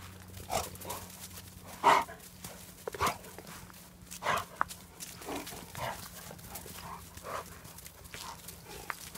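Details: A pack of German Shepherd dogs giving short, broad barks that come every one to one and a half seconds, some louder than others, over a steady low electrical hum.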